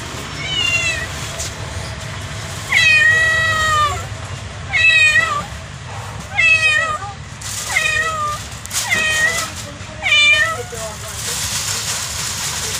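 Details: Kitten (Felis catus), meow.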